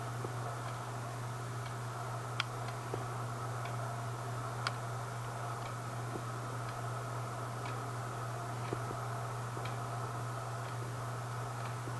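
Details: Soft irregular ticks and clicks sound over a constant low hum in a quiet indoor room.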